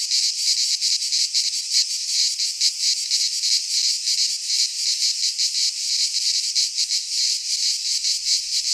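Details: Midsummer cicada chorus from a pine forest in Greece, an unbroken harsh rasping buzz with quick rhythmic pulsing, evenly loud across the stretch, a faint low rumble near the end.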